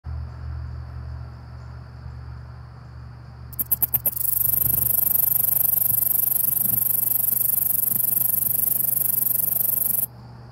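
A katydid gives a few sharp ticks, then a loud, continuous high-pitched rasping buzz.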